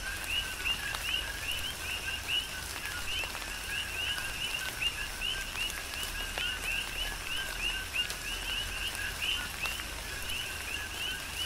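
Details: Coqui frogs on the Big Island of Hawaii keep up a rhythmic chorus in tropical rain, with repeated two-part calls rising at the end and stacked closely in time, while steady rain patters beneath.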